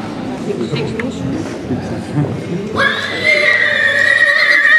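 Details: Haflinger mare presented and running free at a mare inspection in St. Pölten, Austria, on 8 May 2015; after about three seconds of background noise comes a sustained, tonal whinny with a steady pitch.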